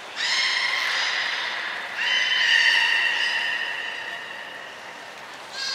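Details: Captive belugas Hodoi, Taanya and Mirai at Port of Nagoya Public Aquarium, 23 February 2021, during pool transfer and training: long, steady harmonic tones, one held call then a second starting near two seconds and fading, with another rising at the end.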